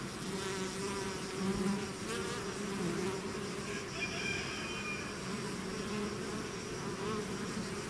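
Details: Bees swarming out of a hive, their massed wings making a thick droning buzz, with single insects passing close and shifting the pitch, and a faint higher whine midway.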